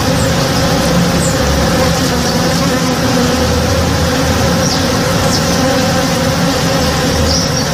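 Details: Many honey bees working a tree in bloom in a home backyard at morning, giving a continuous low, rich buzzing drone without pause, with a few thin, high bird notes.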